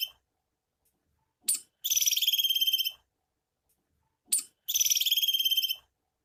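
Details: Female squirrel calling for mating: a brief sharp click followed by a rapid, high, buzzy pulsed trill about one second long, slightly falling at its end, given twice with long silent gaps between.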